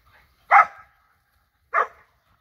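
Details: Borzoi playing with friends, a Golden Retriever and a Poodle also present: two sharp mid-pitched barks about a second apart, each with a short trailing tail, in an otherwise quiet setting.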